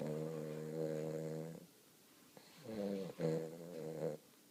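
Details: Napping Weimaraner puppy snoring steadily: a long, low, buzzing snore lasting over a second and a half, a pause, then two more rasping snores in quick succession, recorded indoors.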